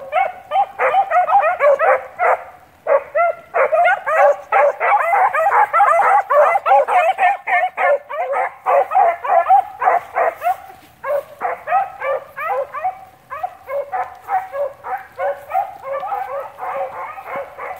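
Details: Line-control Blackcreek-bred beagle rabbit dogs baying while tracking cottontail, bluetail and swamp rabbits; a pack of hounds gives loud, overlapping, rapid bawling yelps, several per second, with only brief pauses throughout.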